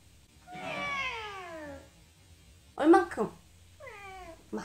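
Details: Female pet cat indoors answering its owner with a meow when asked whether it is hungry: a drawn-out, falling, nasal meow, a brief burst of the owner's speech, then a second shorter falling meow.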